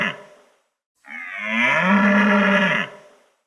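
A cow gives one long, rising, nasal moo lasting nearly two seconds, after the tail of an earlier call.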